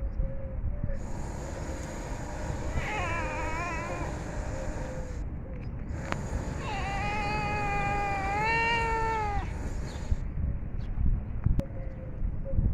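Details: Hungry cats eating food; two drawn-out meows, a shorter wavering one early and a longer one that rises and dips in pitch, over a steady low background hum with a few sharp clicks.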